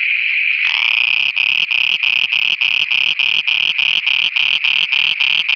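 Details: Frogs calling at night in Pakistan. The clip opens with a steady high hum, then a quick series of throbbing, buzzy pulses at about three and a half per second with soft low thumps underneath.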